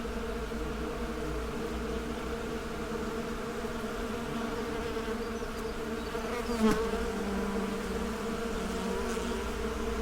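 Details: Honey bees produce a steady droning hum; around the middle a single bee passes close with a louder, wavering buzz before the even chorus continues.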